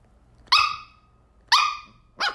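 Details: Shetland Sheepdog barking while chasing a laser: three sharp, high-pitched barks about a second apart, each a bright clipped yelp with a slightly falling tail, the last shorter and choppier.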